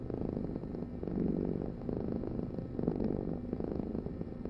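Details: Low, buzzy cat purr, a constant throaty vibration that grows louder and softer in gentle waves.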